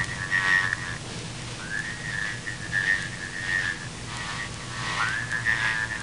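Frogs calling in a steady, high whistled chorus, with brighter notes swelling over the drone.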